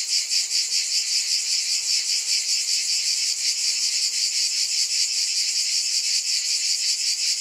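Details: Steady shrill cicada chorus, a thick high-pitched hiss pulsing rapidly and evenly throughout, with nothing else audible.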